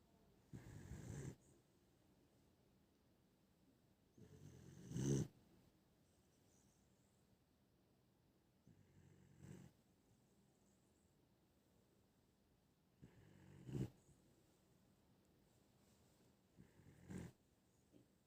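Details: Sleeping Dachshund snoring: five rough, low, breathy snores, each about a second long, come roughly every four seconds with quiet pauses between.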